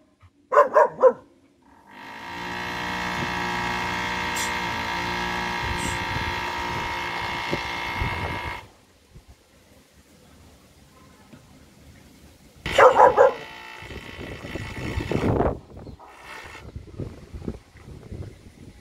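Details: Four-month-old double-coated German Shepherd puppy barking: a quick burst of sharp barks at the start, then a second cluster of barks midway. A long, loud, steady engine-like drone fills the gap between them, with quieter background noise afterward.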